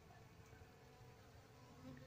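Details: Asiatic honey bees (Apis cerana) of a queenless colony, receiving a donated comb holding queen pupae: a steady low, diffuse hum of many bees, fairly soft and even throughout, with a brief louder tick at the very end.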